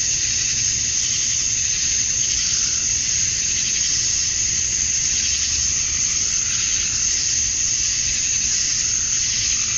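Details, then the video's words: On a summer evening at dusk in Georgia, USA, male cicadas chirp to attract females. Their high, shimmering drone is continuous, with gentle slow swells in intensity, many insects calling together. "Cicadas at Dusk, Summer Night"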